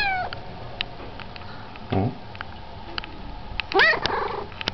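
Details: A cat gives a short, high, bending meow near the end, after a brief low call earlier, with scattered clicks and tapping noises through the room.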